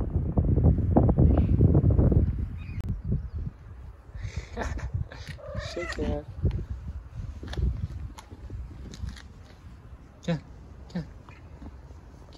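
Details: Tabby cat on the streets of Istanbul, Turkey, meowing to ask for food and attention: a cluster of short, wavering, nasal meows in the middle, a few fainter later, with a woman coaxing softly in Turkish throughout.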